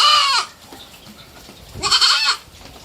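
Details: Pet baby goat aged three months bleating twice, each cry short and bright with stacked harmonics, the second starting with a rising slide, a pause of over a second between them.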